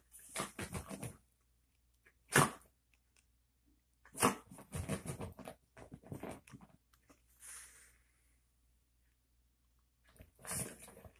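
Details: Male Chihuahua, a newly rescued dog indoors at home, acting strangely: short broadband snorting and sneezing bursts in irregular clusters with quiet gaps, about one burst every two seconds, in a small room.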